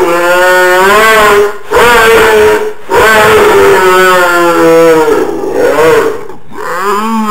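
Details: A pet dog voicing his characteristic funny sound rather than barking: long, sustained, moaning howls, slightly wavering and gliding downward, in three or four drawn-out phrases with short gaps.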